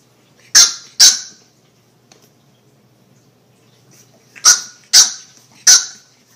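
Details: Puppy barks: two quick high yaps, a pause of about three seconds, then three more sharp yaps in fast succession. The background is otherwise quiet.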